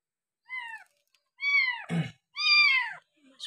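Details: Six-day bottle-fed stray kitten, abandoned and taken in, gives three falling meows, the last long and loud, with a brief burst of voice or handling noise between them.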